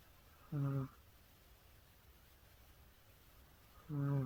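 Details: Cat snoring, two short low throaty rasps roughly three and a half seconds apart, with near silence in between.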